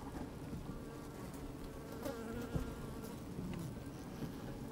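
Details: Inside an opened honey bee hive on a sunny, slightly windy day, bees moving about: continuous low humming drone with faint rustling and a few sharp taps, brief louder buzzes rising over the hum.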